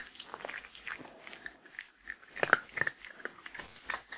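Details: A female Shetland Sheepdog eats her daily meal of dry grain-free lamb and kangaroo kibble, crunching with sharp, irregular bites and chewing.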